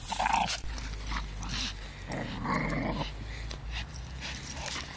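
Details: A four-year-old Staffordshire Bull Terrier plays with a five-month-old American Staffordshire Terrier; low rumbling growls swell for about a second midway, with scuffling and short huffs around them.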